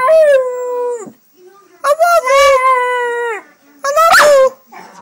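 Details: Young dog, 8 months old, a British Staffordshire Bull Terrier crossed with an American Staffordshire Terrier, making a talking-like sound heard as "I love you": three drawn-out, moaning howl-like syllables with rich harmonics, the last one rising to a sharper peak.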